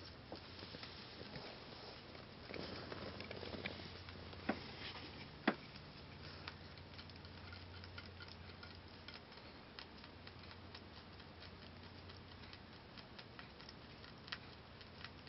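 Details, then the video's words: Momo, a six-month-old female Holland Lop rabbit, eating timothy hay indoors; a steady run of soft crunching clicks, with a few sharper snaps of stems breaking over a low background hum. "rabbit eating timothy"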